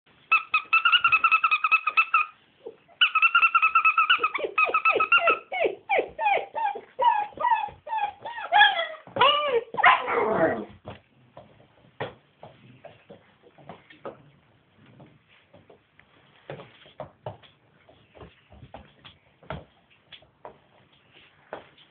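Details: Scottish Deerhound pups playing indoors, just let out of their crate after an air-cargo flight from Edinburgh to Helsinki. A long steady high whine leads into rapid pitched yelps that slide downward, then quieter scattered scuffling and taps.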